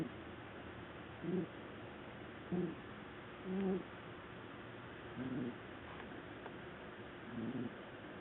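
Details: Black house cat Qiudan sleeping on a sofa and snoring loudly: low, husky voiced snores repeat roughly every one to two seconds over a steady quiet room hiss.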